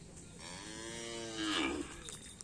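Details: Madura cattle during karapan sapi bull race training at Asemanis field, Pamekasan; a single drawn-out moo, harmonic and slightly rising then falling, lasting about a second and a half, over a steady background hum.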